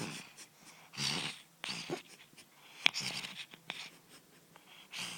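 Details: A male cat fast asleep, snoring indoors: soft, breathy, hissing snores come in uneven bursts about every second, with one sharp click midway and quiet pauses between breaths.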